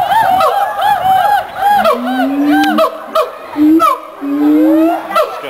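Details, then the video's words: Mated siamang pair at the Columbus Zoo singing a duet that establishes territory and reinforces pair bonds: rapid series of arched, rising-and-falling hoots repeated about every half second, with long low rising whoops beneath, plus some crowd noise. "Siamang Duet"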